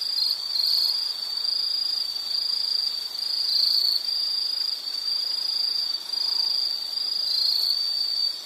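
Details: Insect calling steadily as a nature soundscape for study or sleep: a continuous high, shrill trill with pulses in roughly one-second bursts, a fainter buzzing band above it, no other clear sounds.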